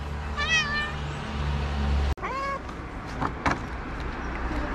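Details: Tabby street cat in Morocco, a young stray, giving two clear meows: a first rising-falling cry with stacked harmonics, then a cut and a second, lower meow, over steady low traffic hum and faint clicks.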